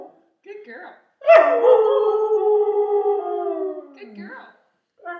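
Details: A 2-year-old purebred Siberian Husky "sings," giving a long, sustained howl that slides slowly downward in pitch.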